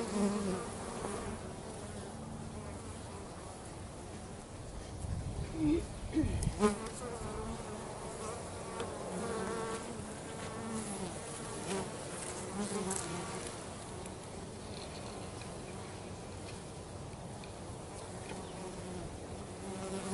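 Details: Bees working around a home, a dense steady hum of wings that rises briefly in the middle as individuals pass close, with a few faint clicks.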